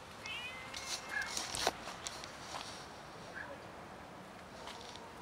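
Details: Street cats, joined by a new little kitten, gathering outdoors for food; a few short, thin meows rise and fall in the first seconds over a soft background hiss, with scattered clicks and rustles.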